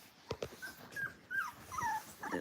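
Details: A 3-week-old Golden Retriever puppy howls with thin, high, wavering howls that rise and fall in short bursts, among littermates in a puppy play area.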